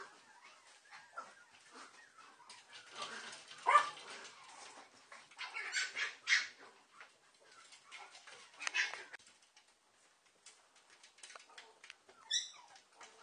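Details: Papillon mother together with her puppies; faint scattered whimpers and small yelps spread through the recording, with a few brighter squeals in the middle and a brief high-pitched squeak near the end.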